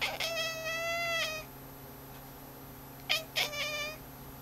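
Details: Rudy the cat, watching the cursor on a screen indoors, gives a long harmonic meow of about a second and a quarter, then two short clipped meows after a pause, over a steady low electrical hum.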